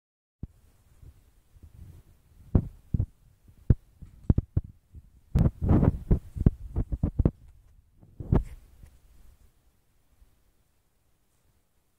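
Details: Only scattered dull knocks, taps and low thumps, like objects being handled, with no calls or voice.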